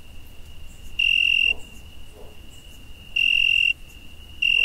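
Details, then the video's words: Crickets on a summer night, a close one giving sharp high trilled bursts of about half a second, two full chirps and the start of a third, over a thin steady background trill. "Cricket Noise"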